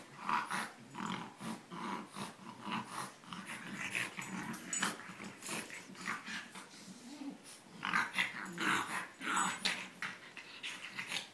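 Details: Two bulldogs, a French Bulldog and an English Bulldog, play-wrestling in a second-round match. Steady low growling pulses with snuffling and snorts, rising and falling in rough rhythm about once a second throughout.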